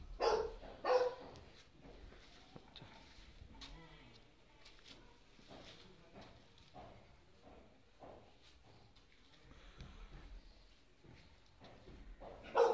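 A Chow Chow puppy gives a couple of sharp, high yapping barks, with a quiet lull between them.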